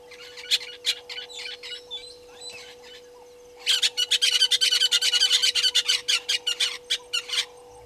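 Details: African painted dogs at Gowrie dam waterhole, Djuma Game Reserve, Sabi Sand Wildtuin, South Africa, on a live camera, 4 March 2022 at 17:49. High, sharp twittering chirps start scattered, then run in a dense rapid burst. A steady electrical hum continues underneath.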